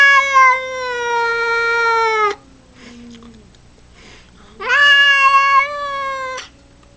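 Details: A pet cat lets out two sustained, strained meows, the first lasting over two seconds and slowly falling, the second rising sharply at onset then holding level, with a soft low murmur between them.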